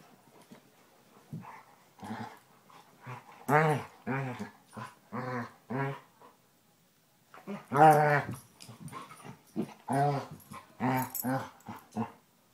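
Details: Two Basset Hounds, Tracker and the new puppy Ranger, rough housing in play; a long run of harmonic growling barks and yips in bursts, a brief pause midway, then more rapid vocal bursts.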